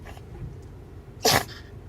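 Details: A small Pomeranian (miniature spitz) gives one sharp, breathy sneeze over a quiet room hum, one of a series of about ten sneezes, recorded 26 September 2016.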